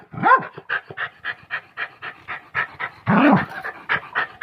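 A Pomeranian gives two sharp, yappy barks between quick, rhythmic bursts of panting.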